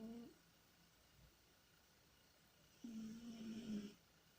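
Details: Tikhon, a pet cat, moans in deep sleep while dreaming: a brief low voiced groan, a pause of over two seconds, then a drawn-out wavering moan lasting about a second, with soft background hiss.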